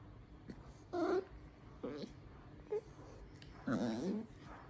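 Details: Miniature dachshund puppy singing in soft, low moaning whines, four short wavering notes spread over a few seconds, with faint background hiss.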